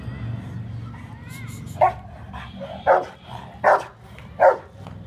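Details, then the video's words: Saint Bernard dog in Varanasi barking four times, deep, short woofs spaced about a second apart, after a brief human voice at the start. "saint Bernard Dog"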